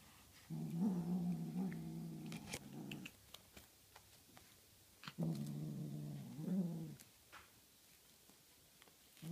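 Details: Tonkinese kitten growling while playing with a feather toy: two low, steady, rumbling growls about two and a half seconds each, separated by a pause with light rustling and taps, then a short growl starting at the end.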